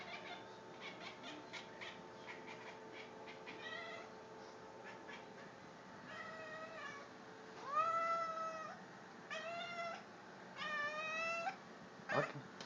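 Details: A pet cat, male, making strange noises: a run of quick dry clicks and short chirps at first, then several loud, swooping, harmonic-rich calls that rise sharply and waver, each under a second long, with short gaps.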